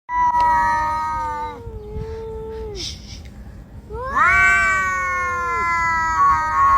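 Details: Domestic cat confronting another cat in a fight: long drawn-out yowls with rich harmonics, one sliding slowly downward then a rising, wavering howl that holds steady, low background hum throughout.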